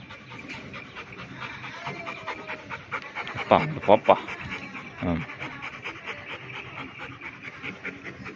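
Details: Pepper, a black Labrador Retriever, panting in quick, steady breaths, more than two each second throughout, with a person's voice speaking briefly over the middle and a few faint bird calls in the background.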